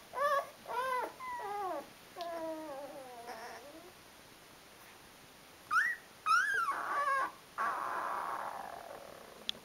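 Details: Rhodesian Ridgeback puppies of the D-litter at 12 days old, among them Mister Grey, give high whining whimpers: bursts of pitch-bending cries, some sliding downward in stepped notes, others arched, separated by short quiet gaps, with soft rustling.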